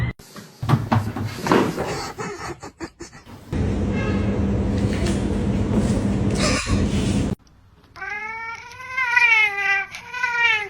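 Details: Domestic cat in a funny compilation: after several seconds of clattering and room noise, a loud, wavering meow with rich harmonics rises and falls over about three seconds, with people laughing nearby.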